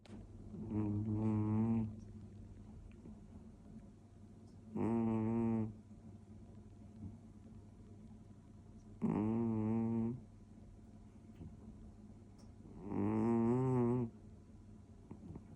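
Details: Toby, a male orange tabby British Shorthair cat born 2014, snoring beside his owner indoors on New Year's Day 2025: four rumbling, harmonic snore bursts of about one second each, roughly every four seconds, over faint room hum.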